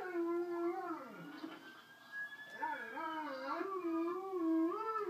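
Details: An Alaskan Malamute, prompted by howling from other videos, gives a wavering, yodel-like howl that slides up and down in pitch.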